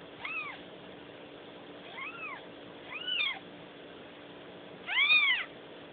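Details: Newborn kittens giving four high, arched mews across six seconds, each rising then falling, the last one loudest and strongest, over a steady low mechanical hum.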